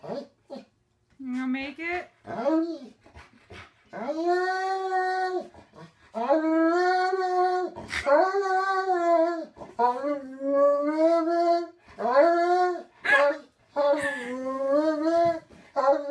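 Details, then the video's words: Huskies singing and talking indoors, the 'woo woo woooo' style: a long run of arched, wavering howls and yodel-like notes, some short and swooping, others held two seconds, with brief gaps between. "Huskies Singing 🎤 | Husky Singing & Talking"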